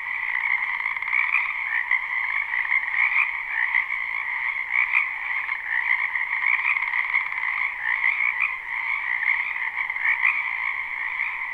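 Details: Dense spring chorus of many frogs in a backyard wetland, live and unlooped: constant pulsing croaks in two bands, with individual louder calls popping out roughly every second or two throughout.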